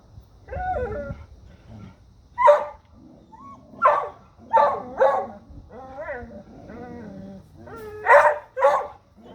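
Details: Dogs barking at a deer, sharp loud barks in short bursts of one or two, with a human voice talking and lower whining sounds in between.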